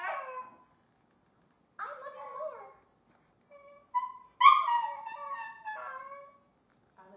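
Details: Pet dog imitating "I love you" with several short howling, moaning bursts. Some are rising and some falling, with brief silent gaps and a final strong, wavering cry.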